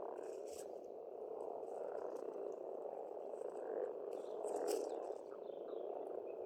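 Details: Spring frog chorus from a pond in Estonia, a steady low croaking drone swelling near the end, with brief high bird calls scattered over it.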